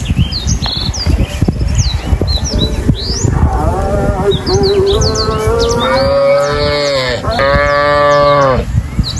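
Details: Cow lowing in a long, building moo that starts softly, grows into a full, resonant bellow and ends with a second strong burst. Many small birds chirp and tweet above a steady low rumble.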